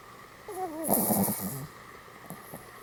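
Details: Sleeping Pomeranian dog, lying in a pose like rugby player Goromaru's, gives one snore lasting about a second: a rough, breathy rasp with wavering whistled nasal tones sliding up and down, then quiet room hiss and faint small clicks.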